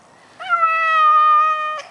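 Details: Male Maine Coon cat in a garden, protesting at leaving his favourite bush, utters a held meow of about one and a half seconds that wavers slightly at the start and then holds steady before ending abruptly.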